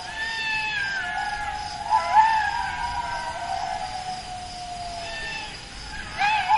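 A jackal gives long, wavering, high-pitched wails that slowly slide downward, with sharper rising cries breaking in.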